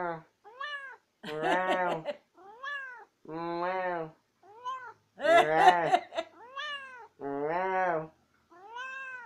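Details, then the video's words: Tammy the house cat chatters in a quick back-and-forth, about four short rising-and-falling meows a second in bursts. Deeper voice-like calls answer between them indoors, and she keeps insisting on the last word. "Tammy cat gets last word in ALWAYS!"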